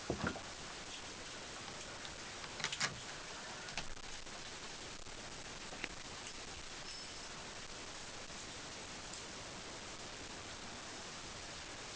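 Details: Steady broadband hiss with a few faint taps and rustles early on; no animal voice anywhere.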